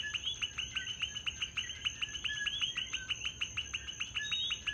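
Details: Coquis calling at night in Puerto Rico, where the frogs are everywhere: a dense chorus of many overlapping short, rising chirps, repeated rapidly and steadily, over a constant high, thin insect-like buzz.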